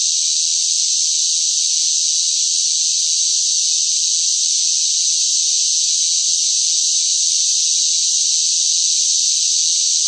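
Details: A chorus of loud cicadas in the heat of summer: a steady, piercing high drone that never pauses or changes loudness, and no other sounds are heard.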